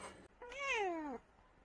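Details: Sleepy, annoyed calico cat giving one drawn-out meow of under a second, its tone sliding steadily downward from a mid pitch to a lower one, clear and rich in overtones, with a short soft noise just before.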